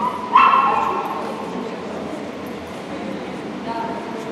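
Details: Border Collie Shepville Gamble competing in Obedience-1 at the St. Petersburg Cup, 11 February 2018, gives one loud, sharp bark near the start, followed by steady low indoor background noise and a faint brief call near the end.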